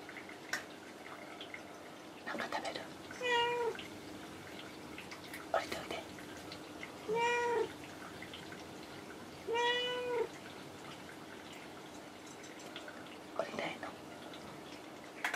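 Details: Pet cat Kinako perched indoors on a shelf or cage top, replying each time she is addressed; three clean meows at steady intervals amid soft speech-like murmurs and household clicks.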